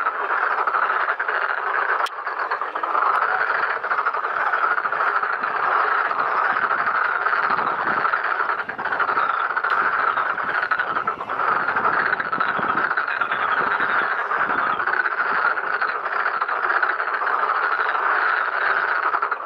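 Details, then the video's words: Pond full of Black-spotted pond frogs mating and laying eggs; a constant, loud chorus of overlapping croaks holds steady throughout, with brief clicks and taps heard now and then. "참개구리의 울음소리, 짝짓기와 산란 Black-spotted pond frogs, singing, mating, laying eggs"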